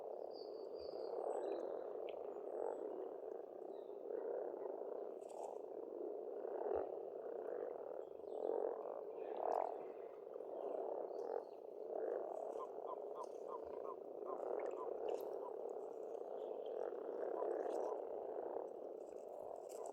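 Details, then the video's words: Pond frogs in Estonian spring croak together in an unbroken, pulsing chorus with small surges every few seconds. Only a few faint bird calls rise above the dense murmur. "Расслабляющее пение птиц и лягушек"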